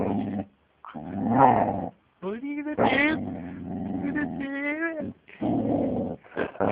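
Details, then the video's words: Young Siberian Husky, six and a half months old and described as angry, growling in rough rumbling bursts that twist into rising and falling whining, howl-like vocal slides, with a human voice also present. "angry dog"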